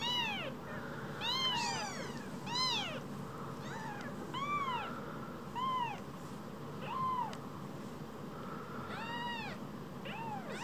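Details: Two tiny rescued baby kittens, each about the size of a mobile phone, mewing over and over: high, arched, rising-then-falling cries, often overlapping, about ten in ten seconds over a steady low indoor hum.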